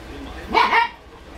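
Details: Four-week-old Dachshund puppies playing together and learning to play; one short yipping bark, under half a second, with a quick rise and fall in pitch, over faint background hiss.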